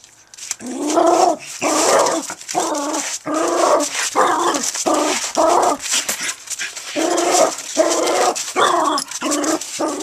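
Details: Dog at play with a brick in a home backyard: harsh, grunting growls come in rapid bursts of roughly half a second, broken by brief gaps, while its owner talks nearby.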